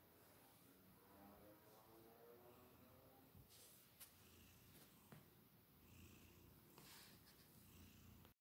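A Maine Coon kitten purrs in a low, steady rumble, with a few soft clicks and bumps.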